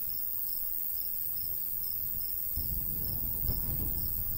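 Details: Crickets chirp steadily in a golden wheat field on a summer day in the countryside, short bright pulses about three per second, while the breeze strengthens in the second half.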